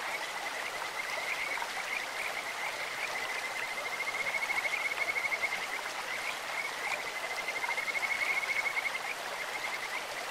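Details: Two long, even trills of Kajika frogs ring out over a babbling clear stream, each a fast string of sweet whistled notes held at one pitch, the second starting around seven seconds.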